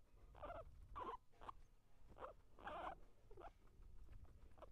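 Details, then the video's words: Squeaky, rasping bursts from a guinea pig during eating and fighting, about seven short calls in under five seconds at an irregular pace over a low, muffled background. "guinea pig eating and fighting"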